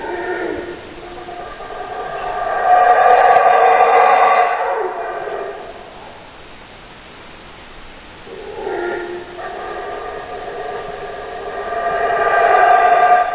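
Howler monkeys give deep, rasping roars that swell and fade in long waves.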